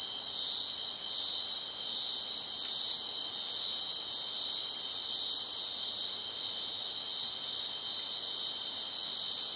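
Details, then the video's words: Night chorus of crickets chirping loudly: an unbroken, piercing high drone of many overlapping insects, with a faint pulsing trill near the top adding a rapid rhythmic edge throughout. "Night Ambience Crickets Chirping Loudly"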